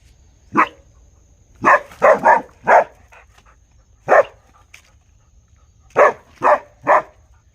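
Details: Dog barking in a real recording: sharp, broad barks, singly and in quick pairs and triplets, separated by short silent gaps, with a faint steady high tone running underneath.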